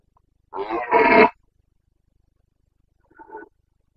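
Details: Carpathian red deer stag roaring during the rut in the forests of the Bucovina mountains, 29 September 2022: one loud, harsh, rasping bellow lasting under a second, then a short, faint answering roar after a pause.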